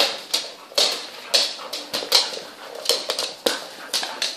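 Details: Twelve young puppies playing with their mother dog, giving short high whimpers and yips in quick, irregular bursts of about three a second, squeaky and thin, with soft rustling between calls.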